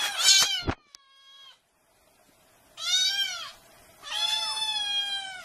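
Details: Cats meowing incessantly: a loud bright meow, a thin steady falling note, a pause, then two long high harmonic meows arching up and down.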